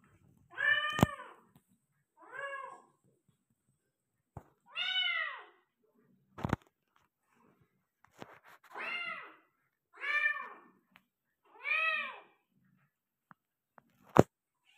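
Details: Indoors, a Persian cat delivering five kittens gives seven short, arched harmonic meows at uneven intervals, broken by sharp clicks and knocks from handling nearby.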